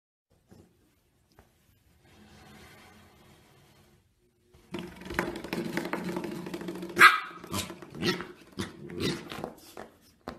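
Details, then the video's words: Corgi 'talking' with rough, grumbling vocal sounds and short barks in quick irregular bursts through the second half, after a nearly quiet first half with faint low murmurs. "Compilation of corgis talking!"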